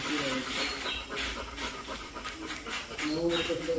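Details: Golden, a playful pet Labrador retriever, pants rapidly in breathy, hissing bursts about four times a second, with people talking faintly in the background.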